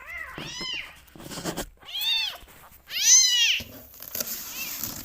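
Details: Rescue kittens at bottle-feeding time give loud, attention-seeking meows: three or four high, bowed meows separated by rustling and handling noises indoors.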